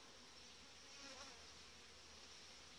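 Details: Dense, continuous buzzing from a populous honey bee colony in its hive in July, headed by a good breeding queen; the drone stays level throughout with a slight swell in the middle.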